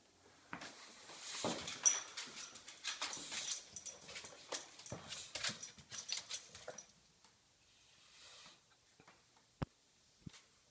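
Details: Indoors, Georgi the bulldog jumps about and barks at Kuba, an American Bulldog trying to sleep: a rapid, uneven volley of high yapping barks for about six seconds, then near-silence broken by a couple of knocks.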